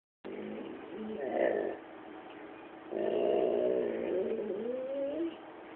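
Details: A male chocolate Labrador Retriever growls at his owner for no apparent reason, two drawn-out, grumbling growls, the second longer and wavering in pitch.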